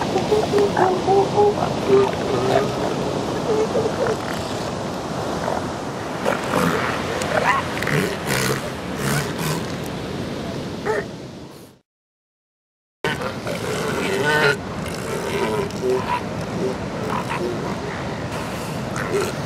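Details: Breeding-season elephant seal colony where females repel amorous big males, pups nearby: repeated guttural, rasping bellows over constant roaring background noise, broken by a short silence near the end.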